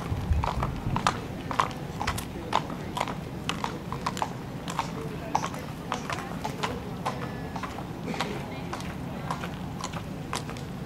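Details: Mare at an inspection show in Wezep, steady rhythmic clip-clop of hooves trotting over a hard surface for about ten seconds, with people talking and a low background rumble.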